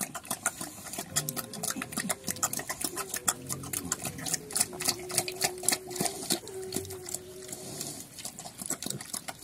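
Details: On a Cambodian farm, active pigs called Chrouk Kandorl produce drawn-out thin tonal squeals and low grunts, the squeals sliding gently in pitch, over constant fast clicking and scuffling noise.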